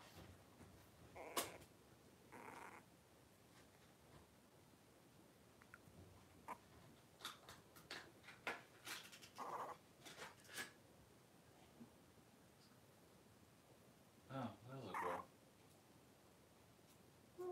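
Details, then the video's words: Litter of five 3-week-old blenheim Cavalier King Charles Spaniel puppies wrestling and playing in an indoor puppy pen, giving scattered short squeaky yelps and grunts, clustered around a few seconds and again near the end, over a quiet room background. "3-Week-Old Cavalier Puppies Wrestle and Play Live"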